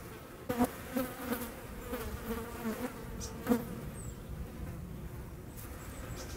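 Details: Hornet hunting wasps in the Eifel, 17 August 2020: low droning wing buzz, wavering in pitch, with sharp clicks and louder surges about every second, some faint high sounds in the background.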